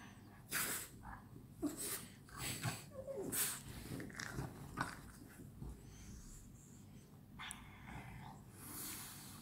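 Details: Playing French Bulldogs at night, producing sharp snorts and raspy grunting breaths in short bursts, busiest in the first half, with scuffles between them.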